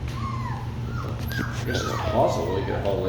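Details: Labradoodle puppies make a run of drawn-out whines that dip and rise, overlapping soft human speech and rustling, with a steady background hum throughout.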